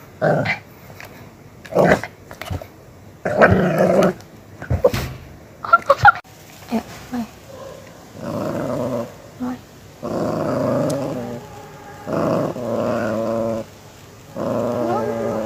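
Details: Pet Miniature Pinscher acting fiercely: a rapid volley of barks and snaps at first, then long, repeated rumbling growls that rise and fall for several seconds.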